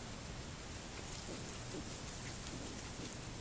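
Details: Steady broadband hiss like rain or handling noise fills the recording, with no animal voice standing out.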